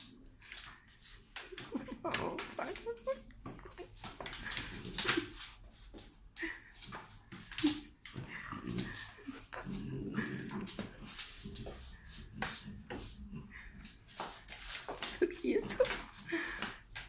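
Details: A French Bulldog that keeps wanting to bite grumbles, snorts and whimpers in short bursts while a person repeatedly tells it in Spanish to let go and stop.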